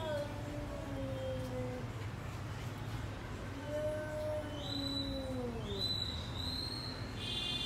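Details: A cat howling like a wolf: two long, drawn-out, wavering tones, the second arching up and then sliding down, over a low background hum. A person repeatedly calls to the cat.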